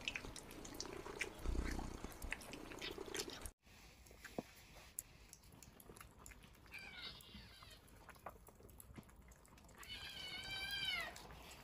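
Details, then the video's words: Kittens eating: wet chewing and smacking clicks for about three seconds, then two high, wavering kitten meows with rich harmonics, a short one near seven seconds and a longer, bending one near ten and a half seconds, over a quiet room. "Cute Kittens Eating & Meowing Compilation"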